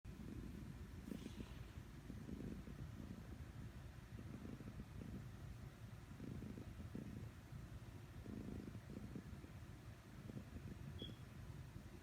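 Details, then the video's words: A domestic cat snoring while asleep: soft, low rumbling breaths in an uneven rhythm, a burst roughly every one to one and a half seconds, with a faint background hum. "Cat Is Snoring"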